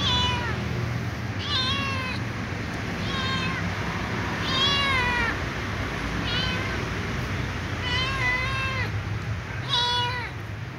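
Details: Pleading for dry food, a little ginger cat meows repeatedly, about seven clear harmonic cries with rises and falls, some bunched in pairs, over continuous low background noise.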